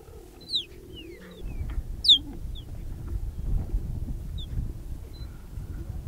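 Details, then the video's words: Wild cheetahs, a mother, her three cubs and a young male joining the group in Olare Motorogi Conservancy, Kenya: a few brief high chirps, two louder ones near the start, against rumbling low background noise. "Cheetah Mother and the Intruder - Wild Vocalizations and Curious Behaviour"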